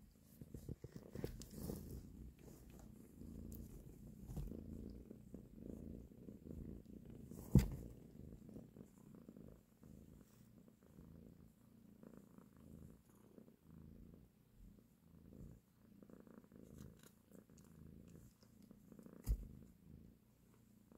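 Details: Nursing mother cat caressing her kittens, purring in a deep continuous rumble, louder early on, with two sharp knocks around eight and nineteen seconds.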